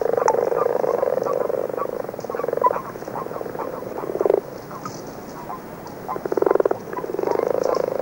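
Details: Dull snoring song of common frogs, early season from February, heard with a few common toads; sustained pulsed purrs of two to three seconds, separated by quieter stretches with faint clicks.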